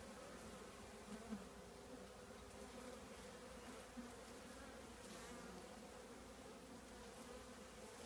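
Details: Soft, steady hum of a honey bee colony in an old trash can, fairly flat and quiet with a faint wash of background hiss and only slight swells.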